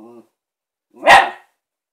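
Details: A female Shiba Inu barking at her new ball: a brief tonal whine followed by one loud, harsh bark.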